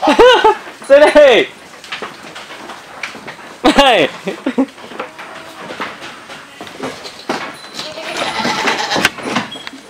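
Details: Big black male breeding goat on a farm: two loud, quavering bleats with rising and falling pitch open the recording, another follows near four seconds, and people talk and move about in the background.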